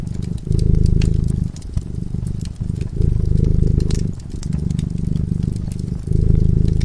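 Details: A cat asleep in front of a crackling fireplace purrs in a low, steady rumble that swells and eases in waves about every one and a half seconds, while sharp pops and crackles from the fire flicker above it.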